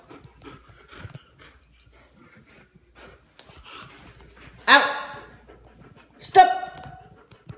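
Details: Fifi, a one-year-old female German Shepherd in training for police work, indoors during obedience commands; two loud, sharp, harmonic barks about one and a half seconds apart, with quiet spoken commands and low room noise before them.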